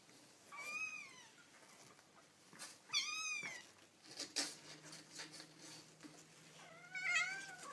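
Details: Kittens meowing indoors: three high, thin mews with arching, slightly wavering pitch, each about half a second long, spaced a few seconds apart, over a faint steady hum and light handling noises.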